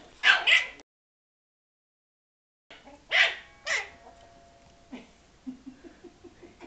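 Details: Angry at a rolled ball that struck him, Frankie the Yorkshire Terrier gives two pairs of sharp, bright barks separated by a short silence, followed by faint soft yips.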